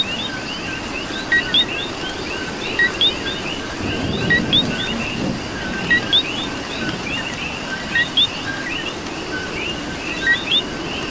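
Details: Coqui frogs in Puerto Rico calling through rain: paired notes, a short lower chirp then a higher rising whistle, repeated by several frogs over a dense chorus of softer trills, with steady rain hiss and a low rumble.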